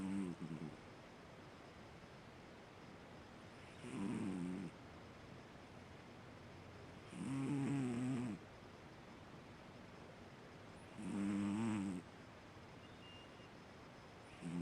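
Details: Fu-chan, a sleeping Siamese cat, snoring steadily. Each breath is a buzzy, droning rumble lasting about a second, returning roughly every 3.5 seconds, with quiet background hiss between the snores.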